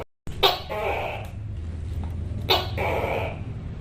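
A Tokay gecko calls with harsh, explosive syllables, each a sharp burst that trails into a nasal, ringing tone. Two such calls come about two seconds apart, with a steady low rumble underneath.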